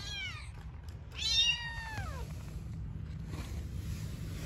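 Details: Newborn kitten or mother cat living on the street: a short meow followed by one long, drawn-out meow that slides steadily downward, then quiet with a steady low background rumble.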